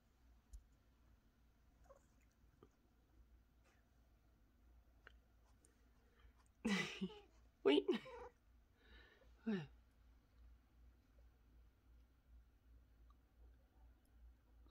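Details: Domestic cat named San-i on a Sunday morning indoors, giving a cluster of short chirping, trilled vocal bursts mid-way, some rising and falling, surrounded by long stretches of near-silence in a small quiet room.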